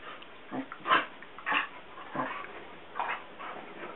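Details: Basset Hounds Guinness, almost seven, and younger brother CJ, almost three, at play while Guinness stays lying on the couch; a quick run of brief yelping and grumbling bursts, roughly every half second.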